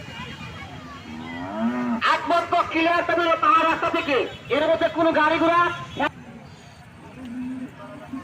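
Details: Cattle for Qurbani at the 2024 Ekdanta cattle market in Pabna, Bangladesh: a short low moo rises and bends, then a man's amplified announcement fills the middle, with a faint lowing again near the end among market noise.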